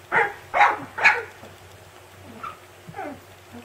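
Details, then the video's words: Siberian Husky puppy yelling at its siblings, three loud rasping yelps in quick succession followed by a few fainter, softer yips. "Husky Puppy Yells at Siblings"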